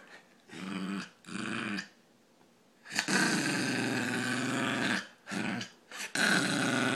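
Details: Funny noise from Ozzy the Brussels pug: two brief raspy grunts, a pause, then one long rattling snort lasting about two seconds, followed by quick short bursts.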